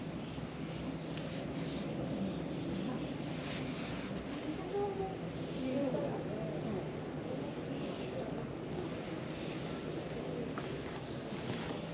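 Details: Steady outdoor rumble of wind and a passing engine, with faint voices in the background.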